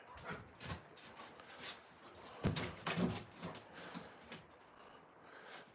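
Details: Playing outside, two giant Alaskan Malamute puppies named Moose and Raven make quick, irregular whimpers and grunting yips in rapid bursts, louder in the middle, with rustling and movement noise around them.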